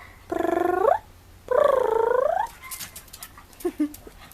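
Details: Black pug Pchan rough-housing indoors with his Shiba Inu friend Mozzie: two drawn-out, pulsing, whine-like cries that rise in pitch, each about a second long, followed by light scuffling and faint knocks.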